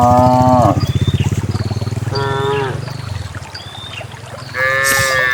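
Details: Dozens of cows herded along a path toward the farm pen: a low bellowing moo with strong rapid pulsing opens, a second shorter moo follows, and another moo rises at the end, with small bird calls scattered throughout.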